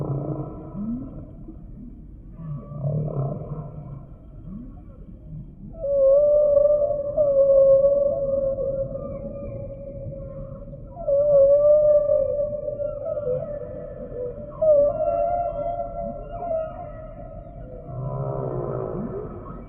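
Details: Humpback whale song with low grunts early on, then long steady wailing tones held for several seconds each, wavering in pitch, ending in a buzzy pulsed sound.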